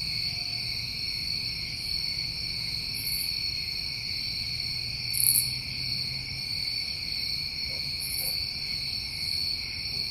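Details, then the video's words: Crickets on a New England summer evening, trilling continuously in stacked high-pitched bands, with three short sizzling bursts well above the drone and a faint low hum underneath. "Over 1 Hour Of Tinnitus Masking With Crickets"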